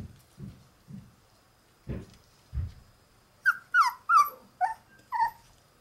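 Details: A white female Shiba Inu puppy born on 24 December makes soft low grunts and huffs, then a quick series of high, whining yelps and whimpers in the last half of the clip.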